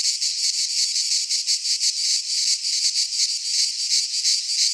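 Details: Greek pine-forest cicadas in midsummer produce a loud, steady high-pitched buzz, throbbing quickly and swelling slightly in waves across the short stretch, with no other clear sounds.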